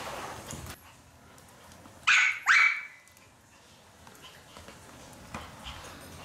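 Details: Maltese dog named Fanta, excited while the floor is mopped indoors, lets out two sharp, high yapping barks about half a second apart, surrounded by quiet shuffling and scraping sounds of mopping.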